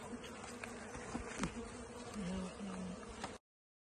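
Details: Native Brazilian stingless bees while a honey super is added to their hive, a low steady buzzing hum strongest midway, with tapping, knocking handling sounds and a man talking.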